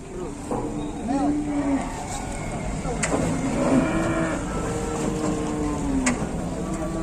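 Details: Aggressive cattle being unloaded from a truck in Indonesia, several long steady lowing moos drawn out over a second or more each, mixed with engine rumble, vehicle noise and men talking.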